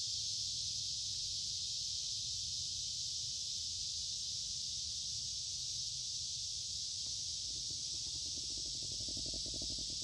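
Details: Midsummer cicadas by a woodland creek on a warm, humid day produce an unchanging loud high-pitched hum; toward the end, quick low ticking or rustling noises join in.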